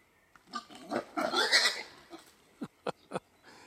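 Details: A female wild boar gives a burst of harsh, raspy squealing followed by three short, sharp grunts.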